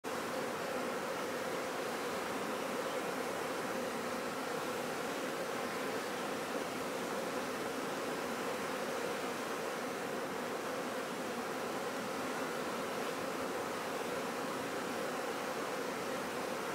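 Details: Honey bees at a bee farm kept for honey: a dense, steady humming buzz from many bees at once, mid-pitched with a layered drone, continuous throughout without pause.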